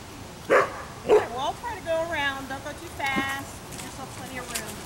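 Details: An Afghan Hound at a picnic outdoors gives two sharp, loud barks within the first second and a half, then wavering, whiny tonal sounds follow, mixed with a human voice.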